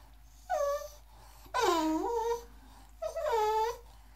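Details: English Bulldog, Boxer and Pug mix puppy indoors, whining to get into the tub while the water runs: three high, wavering whimpers, each about half a second to a second long, with short quiet gaps between.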